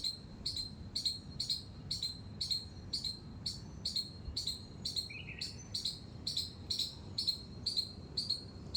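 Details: A squirrel in a terrace garden with flowers gives sharp, high squeaks repeated steadily about twice a second.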